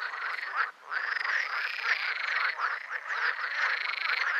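Green frogs croaking loudly in a dense, rattling chorus of overlapping pulsed calls.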